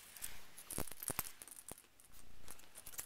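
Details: Faint scattered clicks, taps and rustles sound in a quiet room, with no animal call.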